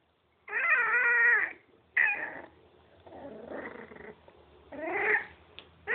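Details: Miniature pinscher puppies at play, giving a long harmonic whine near one second, a short yelp, a softer muttering whimper, then another rising whine near five seconds, with quiet gaps between.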